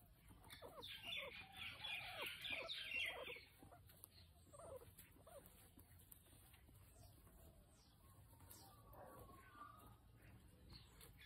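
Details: During a nail trim, guinea pig Potato lets out dense, high-pitched chattering squeals for roughly two and a half seconds, followed by scattered softer squeaks, clicks and a low background hum.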